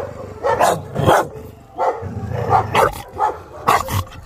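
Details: Chow Chow named Maike, two years old, at a dog training session on arrival, giving short harsh barks in irregular bursts, some doubled, with quiet gaps between them.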